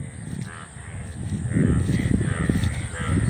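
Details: Indian bullfrogs calling from an open field in front of a house in India, with frogs of many colours seen around. A dense, low, croaking chorus pulses rapidly and irregularly, growing louder after the first second, with faint higher croaks overhead.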